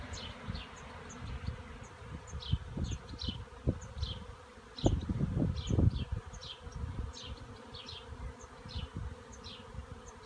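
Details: A swarm of honey bees gathered in a cherry tree makes a steady low hum that surges louder near the middle, with scattered faint high chirps overhead throughout.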